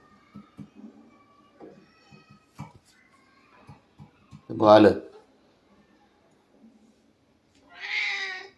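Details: Domestic cat indoors giving one loud, drawn-out meow midway, among quiet Marathi conversation and soft taps, followed later by a shorter, higher vocal sound.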